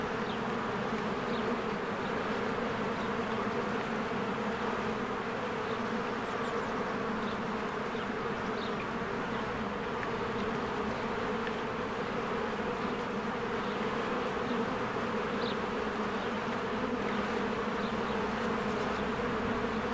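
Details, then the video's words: Many honeybees flying in and out of their hive in spring while flowers bloom: constant deep droning hum over twenty seconds, with scattered short thin bird chirps rising above the buzz. "1 Hour of a Beehive ASMR"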